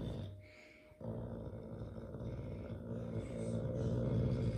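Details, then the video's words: A caracal cat, grumpy while playing with a carpet, gives a deep, rumbling growl that pulses steadily and builds in loudness toward the end. "Grumpy cat playing with carpet - Caracal Alaska"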